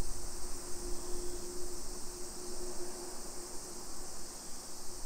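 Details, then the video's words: Constant high, hissing drone of summer cicadas along residential streets of Nisshin, Aichi Prefecture, Japan, 1 PM, 28 July 2021, with a low steady hum and muffled traffic-like rumble underneath. "Summer Cicadas Sounds"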